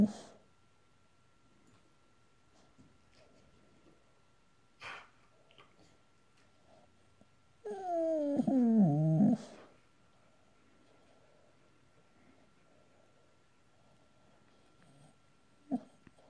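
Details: Boxer dog dreaming in his sleep, letting out one drawn-out whining howl of about two seconds that wavers and slides downward, rich in harmonics, with soft breathing and quiet room sounds before and after.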